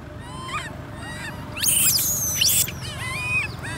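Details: Abandoned by her mother Amari, infant monkey Lori cries in wavering tonal wails that break into shrill, piercing screams in the middle, then settle back into quivering, warbling squeals.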